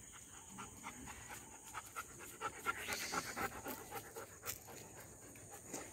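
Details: Short-coated female German Shepherd named Snoopy panting softly, quick breathy huffs about twice a second, with a steady high hiss in the background.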